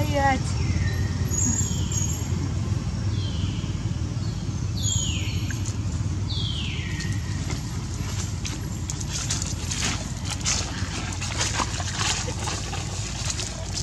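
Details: Baby capuchin monkey named Alba crying to its mother for milk: a series of five high, descending whistled wails over the first six seconds, over steady low rumbling and later rustling and clattering noise.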